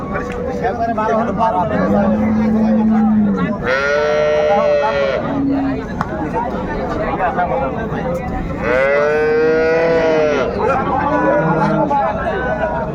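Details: Dairy cattle of improved breed at Raniganj haat market, Dinajpur, 21/1/25, moo repeatedly: a low steady bellow, then two long, rich, falling-then-rising moos several seconds apart, over continuous buyers' and sellers' chatter.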